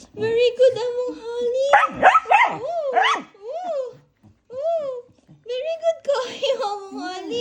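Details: Aspin (Philippine native dog) (Canis lupus familiaris), talking vocalization.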